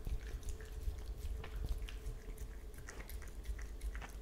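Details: An Italian Greyhound laps milk indoors with quick, wet, irregular clicks over a low rumble.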